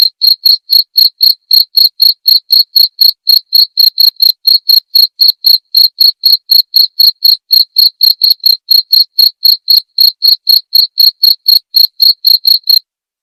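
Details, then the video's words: Cricket chirp sequence intended for teaching white-rumped shamas at night: bright, high, evenly spaced chirps about four each second, continuing unbroken for roughly thirteen seconds before stopping, against a silent background. "masteran suara jangkrik jernih!"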